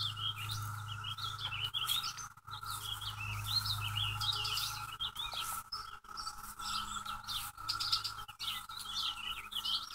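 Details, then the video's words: Infesting cicadas in May 2016 near a house with trees give a continuous level whining drone, heard under frequent bright, twittering bird calls and short chirps that often dominate. "Cicadas-May 2016"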